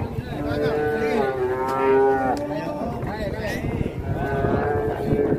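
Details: Cattle in Indonesia, described as raging while being moved, give long drawn-out moos with rich harmonics, several overlapping calls rising and falling, while people talk and music plays in the background.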